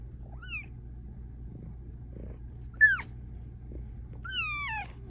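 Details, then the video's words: A Bengal cat, a vocal female who meows and trills to say exactly what she wants, gives three insistent meows, the later ones sliding downward, demanding attention during an evening chat. "Cat with the meow that can't be ignored! She WILL get her way!"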